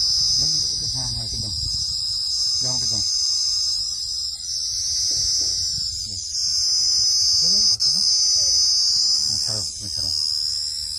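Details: Cricket giving a loud, unbroken, shrill high-pitched trill that holds steady throughout, while people talk nearby in Bengali.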